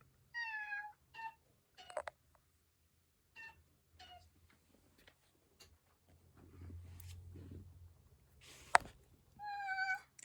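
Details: Black female rescue cat that lets out a sound each time she yawns: short, high meow-like vocalizations with clear harmonics, a stretched one at the start and another at the end, several brief squeaks between, plus a sharp click.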